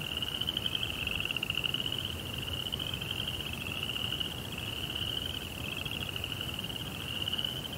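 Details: Crickets calling at night in a Japanese rock garden, a continuous fast-pulsed high trill with a weaker lower buzz beneath, several callers blending, over quiet background noise.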